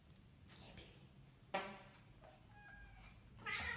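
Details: Domestic cat indoors during a burst of zoomies, giving short harmonic meows amid thumps, rustles and scrabbling of paws across a small room, with a sharp bang midway and a brighter squeaky cry near the end.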